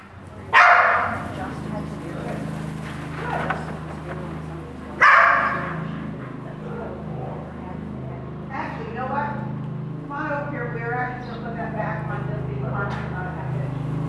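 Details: Keeshond barking while being worked on sheep with a new handler; two loud sharp barks near the start and at about five seconds, followed by quieter repeated yips and a low steady hum underneath.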